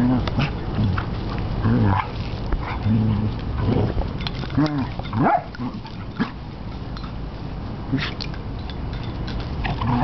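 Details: A Basset Hound pup plays with a much older Beagle/Basset Hound mix, with low rumbling growls, snorts and a few short whiny yips.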